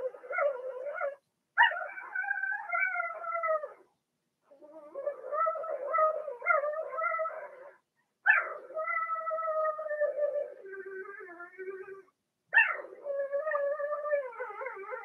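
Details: Litter of six Blenheim Cavalier King Charles Spaniel puppies, born in early March, kept in a home pen while potty training; loud, drawn-out whines that start with sharp upward yelps, then waver, in four main bouts.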